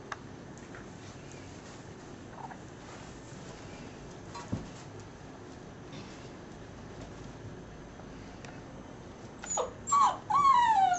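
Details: Litter of ten puppies aged six weeks, American Staffordshire terrier father, Border collie and German shorthaired pointer mother: mostly quiet room noise, then a burst of high, wavering whines and yips in the final two seconds.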